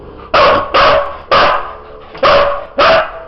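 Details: Husky dog barking on command while counting, answering a person who calls out numbers in Bulgarian; five loud, sharp barks, about half a second apart, each followed by spoken praise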